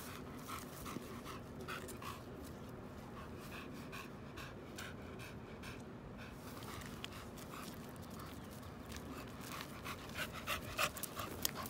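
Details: American Bully dog panting while out on a walk: soft, breathy hissing bursts repeating at a steady quick pace, with footsteps and faint outdoor rustling underneath.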